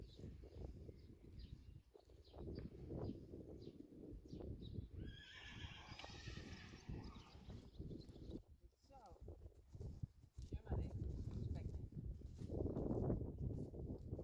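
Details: Friesian horse, from a herd where the sport horse Reintje is ridden again for the first time, gives a high, wavering whinny around mid-clip. Dutch speech, hoof clip-clop and rustling fill the rest of the recording.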